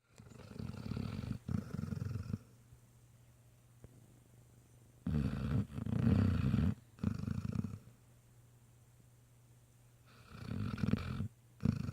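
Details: A sleeping Great Dane puppy, exhausted after a long day visiting a nursing home, snores in deep, rumbling breaths every few seconds.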